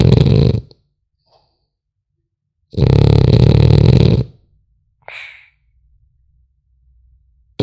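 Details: Sleeping French Bulldog puppy snoring in a small room: two long, coarse, low rumbling snores with quiet gaps, plus a brief faint higher squeak in between.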